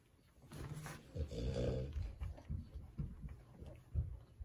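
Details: Cavalier King Charles Spaniel playing rough with a cushion indoors: a low, rumbling growl with layered harmonics swells for about a second, then breaks into short snuffling bursts and scuffling thumps.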